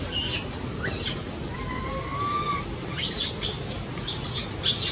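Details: Crying baby monkey said to be in a seizure and needing its mother: a drawn-out, thin whimpering tone rising slightly, framed by sharp high-pitched squeals at the start and end.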